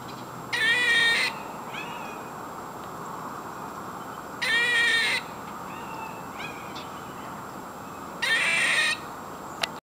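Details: Squirrel giving harsh, awful-sounding calls: three loud rasping bursts about half a second long, spaced roughly every four seconds, with a few fainter short chirps between them over a steady background hiss.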